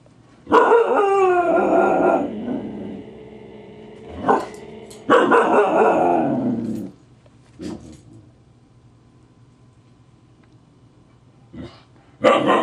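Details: Grouchy Husky Siku, teased by the Husky puppy Loki, snaps and bares his teeth. Two long, rough, pitched grumbling growls rise and fall, each about two seconds, with a short yelp between and a brief snap at the end.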